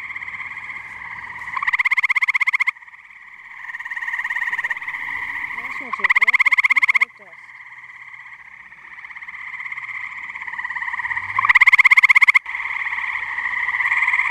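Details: Muggy night at a pond in New Jersey with tree frogs in full chorus; steady buzzing background chorus, with loud rapid pulsed trills of about one second breaking through three times.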